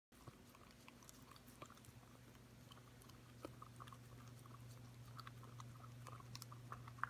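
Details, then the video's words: Corgi puppy, five months old, licking a yogurt bowl clean indoors: soft wet clicking and smacking licks repeated about three times a second over a steady low hum. "Corgi puppy licking yogurt"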